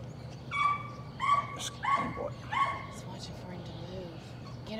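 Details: Patterdale Terrier puppies working rats in their pen yelp excitedly, four loud piercing cries roughly every 0.7 seconds, followed by softer whimpers and a low hum underneath.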